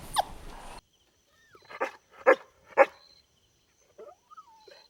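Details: Golden Retriever puppies playing outdoors on a lush green lawn: after a brief burst of rustling, three sharp, rough barks come close together about half a second apart, followed by a few softer short yelps.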